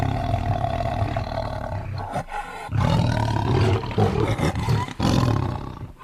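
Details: Tiger giving a deep, rumbling roar with strong low harmonics, held in long rough stretches broken by short pauses near two and five seconds.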